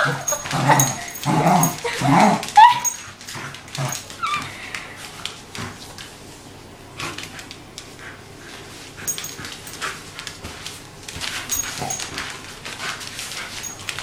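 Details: One-year-old wire haired fox terrier Rory in a play session: gruff growls and a squeaky yelp crowd the first few seconds, then quieter scuffling with occasional faint whimpers and clicks.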